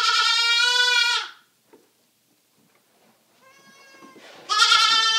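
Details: Rescued baby goats, Flower the black LaMancha and Mabel the sable Nubian, kept indoors: a strong high bleat, a near-silent gap with a faint cry, then another loud bleat beginning at the end.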